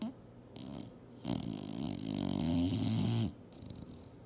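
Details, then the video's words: Female English Bulldog sleeping and dreaming hard on a couch, giving one long, rough, droning snore with a nasal, whining tone for about two seconds between quieter breaths. "SNORING BULLDOG SLEEPING & DREAMING HARD!!!"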